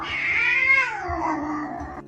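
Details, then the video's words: Chonk, a rescue cat and once-homeless kitten known for talking back, gives one long drawn-out meow that holds steady, then slides downward in pitch before stopping abruptly, with soft music underneath. "This Rescue Cat Won’t Stop Talking Back"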